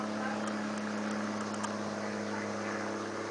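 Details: A steady, humming engine drone fills the recording, with no clear animal voice.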